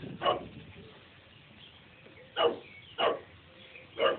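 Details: Chow Chow on a rampage attacking a bee: four short, sharp barks, one at the start and three more spaced over the final two seconds, with quiet background between.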